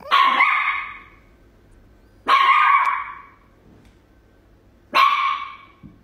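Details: Little Chihuahua dog barking at a cat, three loud, drawn-out barks with a harsh, growling quality, each trailing off over about a second and spaced roughly two and a half seconds apart.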